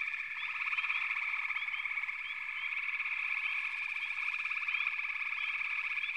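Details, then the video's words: Many frogs call together as one unbroken shrill drone, with a fast pulsing trill beneath it and brief rising chirps popping in roughly every half second. "FROGS - Pig Frogs, Water Frogs, Backwater Chorus, & Frog Chorus"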